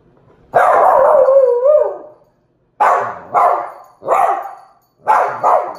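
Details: Indoor meeting between Tito, a two-month-old Miniature Pinscher puppy, and Jupiter, a Dachshund of one year six months: one long, drawn-out bark with a wavering tail, then a pause and three short, sharp barks in quick succession.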